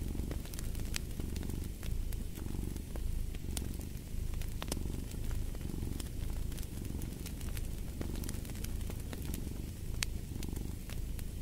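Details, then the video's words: A cat's deep, even purr pulses in soft surges roughly every second, a warm rumble under frequent crackling snaps from a fireplace. "Fall asleep to the Purring of a Cat"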